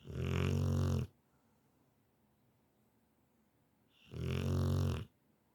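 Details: Rottweiler snoring loudly while fast asleep indoors: two long, deep, rumbling snores about three seconds apart, each lasting about a second, with quiet breathing between.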